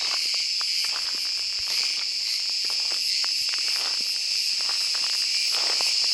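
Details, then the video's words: Summer chorus of a large cicada, Cicada sp., in wooded country of Mediterranean Turkey once the day has warmed; an intense, constant high buzzing with a faint pulsing texture and scattered soft clicks. "Ağustos Böceği sesi - Cicada voice"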